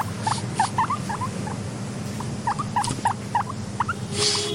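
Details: Content pet guinea pig wheeking: short, rising squeaks in small clusters, some doubled, over a steady low hum of quiet ambience and a brief soft hiss near the end.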